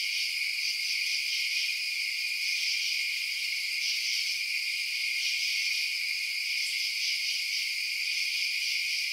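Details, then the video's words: Crickets at night keep up a steady, high, ringing chirp chorus, layered and constant, with slight pulsing in intensity and nothing else audible. "Night Sounds Crickets Chirping"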